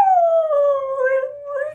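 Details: A female Siberian Husky, asked by her owner to sing, answers with a smooth, drawn-out howl that slides gently downward in pitch.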